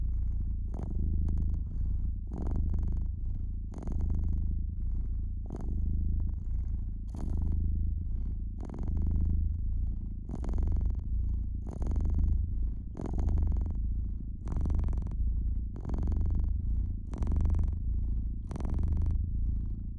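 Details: Steady low purring from a domestic cat resting beside a fireplace, the rumble pulsing gently with its breathing while frequent bright crackles from the burning logs snap above it.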